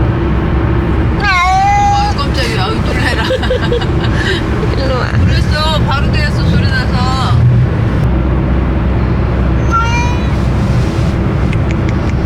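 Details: A 4-year-old male Ragdoll cat, moving from a large home to a smaller one, gives several long, crying meows in a car. Some wobble up and down in an odd, strained way over steady engine and road rumble, with people talking between calls.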